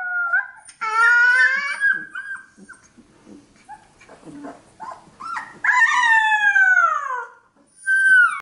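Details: A 15-day-old Alaskan Malamute puppy howling: drawn-out, wavering high cries that slide downward, with soft whimpers and small squeaks between the longer howls.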